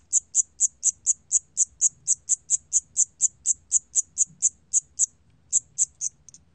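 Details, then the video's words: 샴귀뚜라미 cricket recorded by the National Institute of Biological Resources in 2020, chirping high and crisp about twice a second, then pausing briefly before a few more chirps; faint low background murmur. "샴귀뚜라미, 1번 듣기, 곤충소리"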